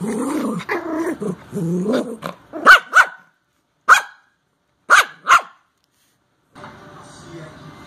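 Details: Wally, a new Yorkshire Terrier puppy, meeting other puppies at play: a run of low growly grumbles gives way to four sharp, high yaps spaced about a second apart, followed by silence and faint background hum.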